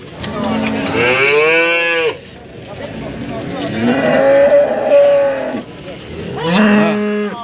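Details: Market cattle in Warujayeng, Nganjuk, East Java, including breeding cows with calves. Three separate moos: a rising then falling bellow, a longer wavering one, and a short final call. Crowd noise fills the gaps.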